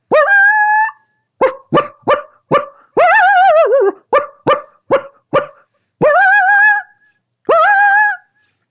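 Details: Coyote alarm linked to a wolf's presence, with more barks, greater intensity and an upswing in pitch than the normal chorus: sharp barks in quick bursts alternating with longer wavering howls that turn upward in pitch.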